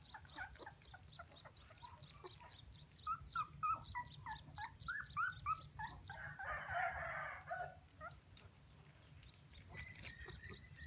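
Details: Puppies crying as if calling for their mother: a quick run of short, thin, rising whimpers in the middle, several per second, over a steady low rumble, with a rougher noisy burst and quieter cries after.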